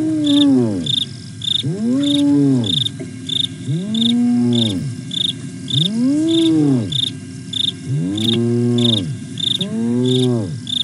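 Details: Contact calling from the hyenas Aggro and Spoon at Nkorho, Sabi Sands, South Africa, 08 09 2022: six loud whoops, each sweeping up then down, spaced about two seconds apart, with a constant cricket trill behind them.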